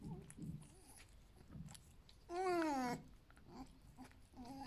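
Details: Alf, a pet male fox, eating breakfast indoors after a good rest and ready for a walk, gives one loud, drawn-out whine of under a second that slides downward, with soft chewing and a voice urging "come on" around it.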